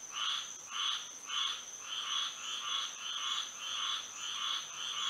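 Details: Night frog chorus in Florida by moonlight: rhythmic buzzy croaks swelling and fading about twice per second, layered over a constant thin high-pitched drone.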